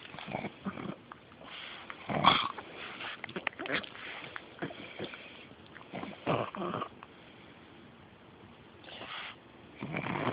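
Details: Beanie, a female pug, snorts close to the camera. Rough nasal bursts come in separate clusters, with a loud, sharp snort early on, then quieter wheezy snuffles and a final burst.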